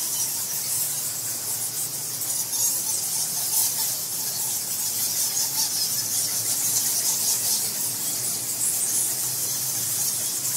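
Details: Dense high-pitched squeaking from bats hanging inside a Bali temple in Indonesia, March 2018, captured near the roost on a field recorder with no people present; bursts of brighter squeals swell over a steady shrill hiss.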